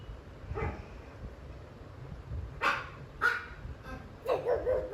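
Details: Pet pug, jealous of pugs and other dogs shown on TV, barking fiercely at the on-screen dogs as if guarding his territory; a faint early bark, then three loud harsh barks spaced under a second apart, over low room hum.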